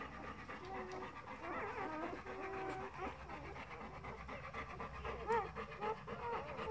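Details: Four-day-old Golden Retriever puppies giving thin, wavering squeaks and whimpers, several drawn-out tones early on and a sharp rising squeal near the end, over soft breathy rustling.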